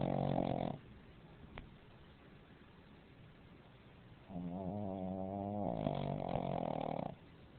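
A Pekingese snores in heavy, buzzing breaths with a harsh, rattling edge. Long quiet gaps separate the noisy pulls of air, as is typical of this flat-faced breed.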